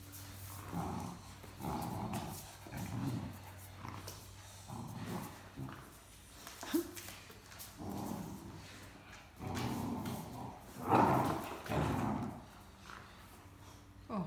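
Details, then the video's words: Great Dane puppy Mikey grumbles while playing with adult Great Dane Ellie over a shared stuffed toy: low, throaty growling bursts repeat roughly every second, rising and falling, with faint human voice in the background. "Talkative Puppy and Great Dane Want the Same Stuffed Toy"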